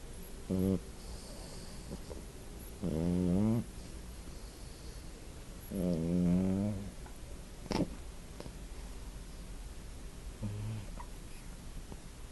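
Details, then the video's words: Sleeping puppy snoring steadily: low, voiced, buzzing snores with quieter breaths between them, spaced roughly every three to four seconds, plus one brief click, with no other sounds. "Snoring puppy"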